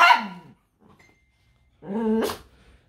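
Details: A 6-year-old female poodle gives two harmonic, whiny barks, the second rising sharply in pitch at its end, seemingly talking back as her owner teases her for being ugly.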